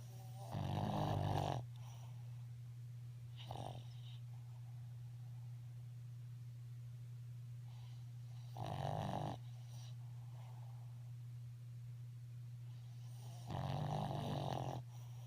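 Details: A female Boston Terrier snores with her eyes open, in rough, rasping bursts of about a second each over a steady low hum.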